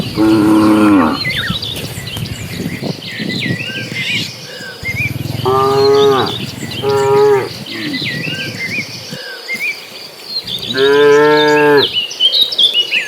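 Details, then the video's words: Dozens of cattle migrating in a herd toward green pasture, giving cheerful moos. Four deep, harmonic, drawn-out lowings come about every three to five seconds, with small birds chirping and twittering in the background. "Suara sapi lucu riang gembira"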